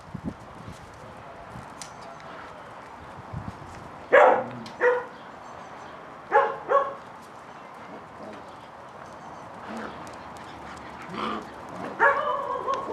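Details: During play, Catalan Sheepdog pups of Bonny and Elgoche let out intermittent yips and short barks every one to two seconds, ending with a longer, clear whining yelp.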